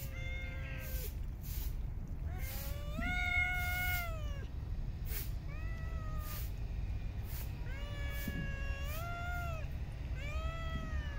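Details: Street cats fed in a park meow again and again, clear wavering calls about every second or two with brief clicks between, over continuous low background rumble.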